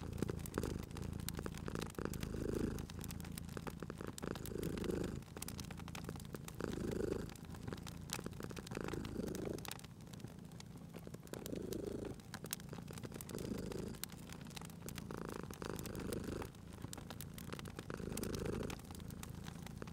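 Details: Relaxed cat purring by a crackling fire in a cozy room; a deep continuous rumble swells with each breath, roughly every two seconds, while bright crackles and pops from the burning wood continue steadily.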